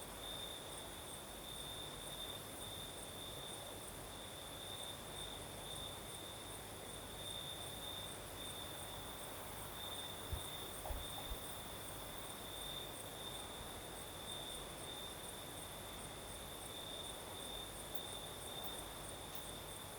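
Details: In Crimea's southern night, crickets sustain a high, steady pulsing chirr alongside a fainter higher tone, over a breezy hiss and low rumble, with a couple of soft thumps near the middle.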